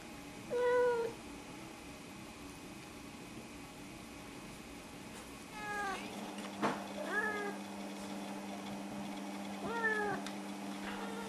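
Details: Snowshoe cat, one of the pair Nevada and Noodles, talking to greet, ask for a fuss, food or a walk: four separate meows, the first short and level, later ones rising then falling, spaced over several seconds against a steady indoor hum.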